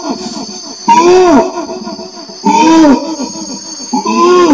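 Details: Orangutan voice in arched, slightly rough groans that rise and fall, two longer calls and the start of a third, with softer murmuring sounds and a faint steady hiss in between.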